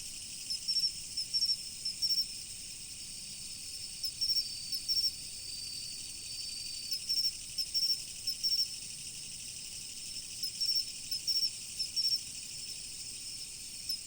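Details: Insects calling in autumn beside a river: short, high, bright chirps in pairs and small bursts, recurring about every one to two seconds, over the steady rushing hiss of flowing water.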